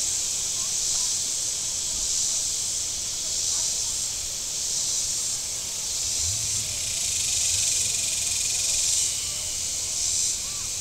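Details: Shoreline cicadas at Table Rock Lake, southern Missouri, on a very warm Saturday: a shrill buzzing chorus swells and fades in slow waves roughly every two seconds, with a brief low engine sound from boats on the water.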